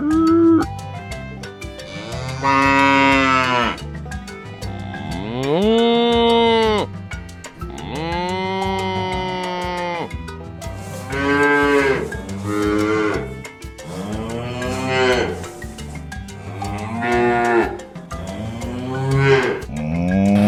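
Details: Domestic cattle giving a string of loud moos, some low and droning, others higher and rising at the end, about eight calls spaced a couple of seconds apart, accompanied by continuous rhythmic music.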